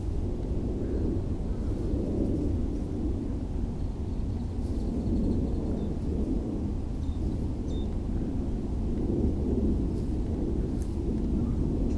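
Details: A steady low rumble like distant thunder or wind fills the recording, with no animal calls heard.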